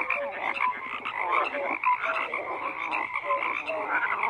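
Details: Frogs croaking in a dense, continuous chorus, many overlapping voices forming a steady mid-pitched drone with short rhythmic croaks and brief tonal notes rising above it throughout, no other sounds standing out.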